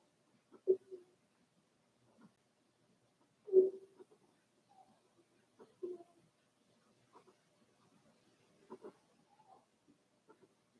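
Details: Four-week-old Cavalier King Charles Spaniel puppies of one litter, kept in an indoor pen, give brief soft squeaks and grunts at irregular intervals, roughly twenty a minute, in an otherwise silent room.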